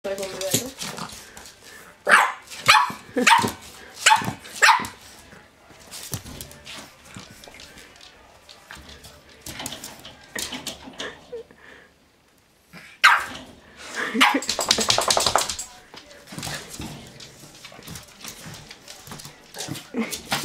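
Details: Boston Terrier facing a mirror barks in a quick burst of sharp, short yaps early on, followed by quieter scuffling, snuffling and rustling, a brief silence, then busier mixed noise with more scattered sharp sounds.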